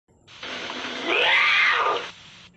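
A lynx gives a harsh, drawn-out yowl that rises and falls over about a second.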